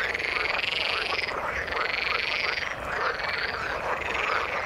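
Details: A crowded frog chorus in the water, with buzzy, pulsing croaks that rise and dip in rapid overlapping bursts, steady and loud throughout.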